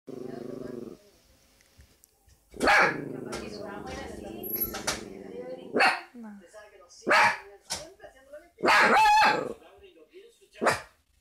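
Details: Fox Terrier puppy barking at the television indoors: several sharp barks, some in quick pairs, over a sustained humming tone from the set and other background sounds.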